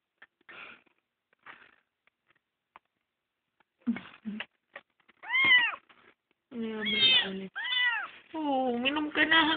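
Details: Rescued kitten, found crying on the road and adopted, starts with soft faint sounds and a few voices, then breaks into a run of loud arched meows, roughly one a second, some long and quavering.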